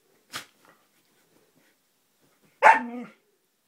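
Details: Siberian Husky named Roxy, playing: a short sharp yip, then after a pause a loud harmonic bark-howl sliding slightly downward and lasting about half a second, indoors with no other sounds.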